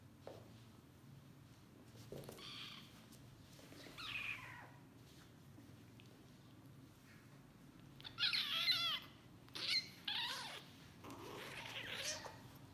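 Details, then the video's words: Domestic kitten, sleepy and bitten by a playful sibling, giving high, thin, strained meows in short bursts near the end, after quieter faint cries, over low background rustle. "Yavru Kedinin Çok Uykusu Var ama Kardeşi Onu Isırıyor Yavru Kedi Yüksek Sesle Miyavlıyor"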